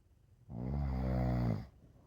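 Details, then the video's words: Rescue pit bull mix dog sound asleep, giving one long, steady, low rumbling snore of just over a second, rich in harmonics, in a quiet room. "The dog sleeps like a baby and snores."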